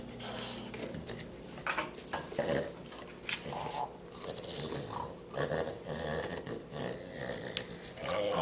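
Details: Zorro, a pet dog, growls while gnawing at a pumpkin indoors. Rough, low, snorting rumbles come in irregular bursts, mixed with crunching bites and wet chewing noises.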